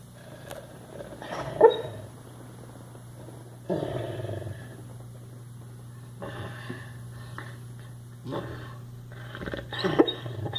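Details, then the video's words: Sleeping dog snoring: rough, breathy broadband snorts recur roughly every two seconds, one louder rasp near the start, over a constant low electrical hum. "Snoring Dog"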